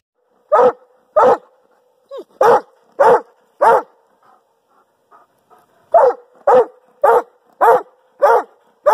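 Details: Male pet Doberman Pinscher barking about 24 inches from a decibel meter: loud, sharp, deep barks, five spaced about 0.6 seconds apart, a pause of roughly two seconds, then six more at the same quick pace.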